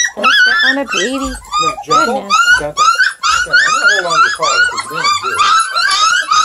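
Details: Hungry Redbone Coonhound puppies at a hound kennel near Kingston, Ontario, Canada, whining together in a dense chorus of high, overlapping, rising-and-falling squeals, with a person's voice mixed in indoors.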